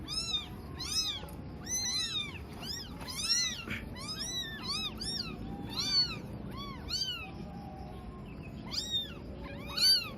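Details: Newborn kittens, eyes still closed, four found abandoned on a cloth in a cemetery at dusk; high thin meows with rising-falling harmonics repeat in quick bursts, several overlapping, over low background rumble.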